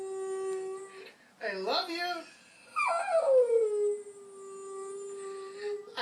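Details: Singing puppy at home: a flat held howl, a quick squeaky rising-falling yelp, then a high note sliding downward into a long, even, drawn-out howl lasting about three seconds.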